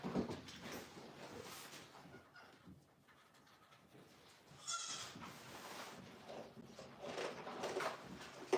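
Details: Goat kid on a home farm around bottle-feeding time lets out one short, quavering bleat midway, with softer shuffling, rustling and a faint low hum around it in an indoor space.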